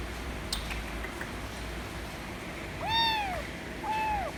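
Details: ['White kitten meowing for affection; after a quiet start with a few faint knocks, two arched meows sound near the end, the second softer, over steady low background hum.']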